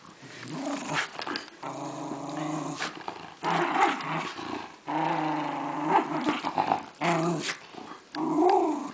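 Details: Welsh Terrier Reilly, a female pet dog, growling while attacking her toy lion in play; long rough growls with clear harmonic bands, broken into several bursts separated by short pauses, indoors.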